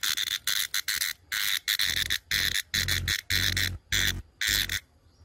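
A brown cicada gives loud, harsh buzzing bursts, each about half a second, separated by brief pauses.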